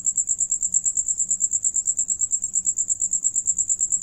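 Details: Cricket song from a group where some sing and one is eating: piercing, evenly throbbing high trill, pulses arriving about eight each second, faint low hum underneath.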